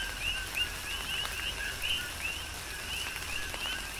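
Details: Coqui frogs on the Big Island of Hawaii in tropical rain, several clear upslurred whistled notes about three per second standing out over a soft chorus and a hiss of falling rain.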